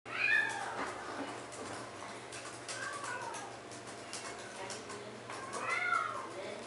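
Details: American Curl cat available for adoption, indoors in a small room: two clear, drawn-out meows, one at the start and one near the end, each rising then falling, with a low steady hum and faint human speech between them.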